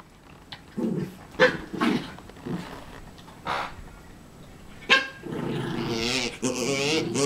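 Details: Havanese dog; whining growl; wanting another dog's bone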